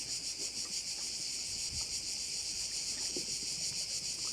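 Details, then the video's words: Crickets at a bay in Korčula: a dense, continuous high-pitched buzzing chorus that pulses about three times per second, with faint low rustles and occasional soft knocks underneath. "view of one of the bays in Korcula with sounds of crickets"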